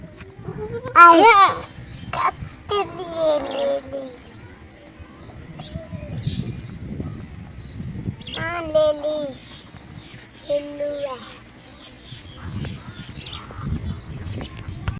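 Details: A young goat gives quavering, nasal bleats in short bursts, with people talking nearby.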